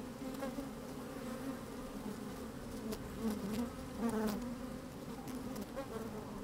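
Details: Honey bees busy in an opened hive on a fine, sunny day, microphone inside the hive; constant low drone with bees occasionally buzzing louder in short bursts around three and four seconds, plus soft tapping clicks.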